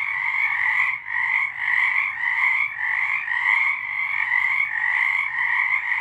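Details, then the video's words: Frogs singing in the dark in March 2023, a constant chorus of buzzy trilled croaks in two bands, phrases separated by brief soft dips near one and one and a half seconds. "Frogs singing"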